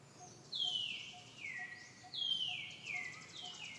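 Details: Dee Dee, a mother monkey with baby Deidra, cries out when threatened by the monkey Sankra: two long, shrill, wavering screams that fall steeply in pitch, with a faint rhythmic ticking beneath.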